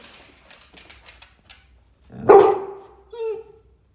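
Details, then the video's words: Excited American Staffordshire Terrier: a few soft clicks and taps, then one loud, harsh bark followed a second later by a shorter, higher, whine-like yelp. "American Staffordshire Terrier - Aufregung | Hund bellt"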